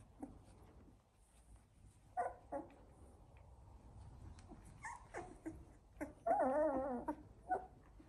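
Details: Sixteen-day-old Labrador Retriever puppies from one litter: sparse short whimpers, then a longer wavering whine, with quiet rustling between calls.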